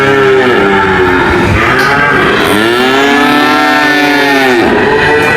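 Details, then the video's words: Cow lowing, with a fainter bellow early on followed by one strong, long moo arching up and down in pitch, amid steady background noise and overlapping calls. "cow mooing sound"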